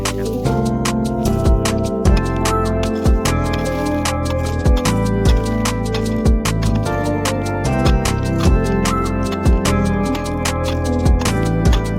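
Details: Loud rhythmic music with heavy bass thumps and layered tones fills the whole stretch; no bee buzzing or other animal sound is heard.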